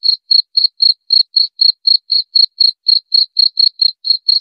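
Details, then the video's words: Cricket (jangkrik) giving a clean run of about eighteen short, high, evenly spaced chirps in just over four seconds, each pulse crisp and separate, with no background sounds. "Suara Jangkrik"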